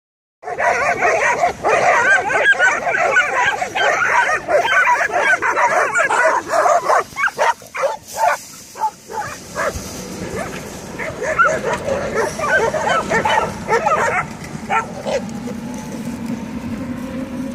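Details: Stray dogs in Belgrade, Serbia, barking at one another across a fence at night: dense, overlapping rapid barks from several animals for most of the clip, thinning to scattered barks and faint background hum toward the end.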